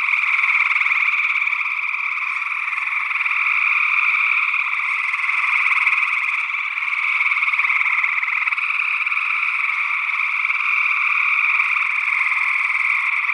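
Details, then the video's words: Many gray tree frogs trilling together in Northwest Wisconsin, early June 2022, recorded in ORTF stereo with small-diaphragm condensers. A steady wall of overlapping buzzy trills that never stops, and perhaps another unidentified frog species calling among them. "Gray Tree Frog Calls"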